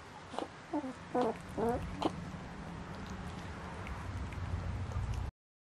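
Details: German Shepherd puppies at 15 days old: a short run of thin, squeaky whimpers with wavering rising and falling tones in the first two seconds, then only a steady low hum and background noise.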